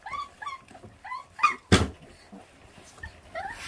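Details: Feral dog puppy whines while eating, its mother having left the litter uncared for. The whines are thin and tonal, falling and rising, in quick short series. A sharp loud knock comes midway, with scraping sounds after.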